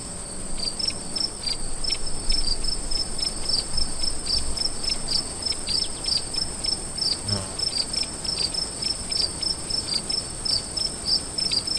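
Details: Crickets calling at night with a long run of quick high chirps, about three per second, irregular, over a steady shrill insect drone; low rumbles and a brief faint sound near the middle.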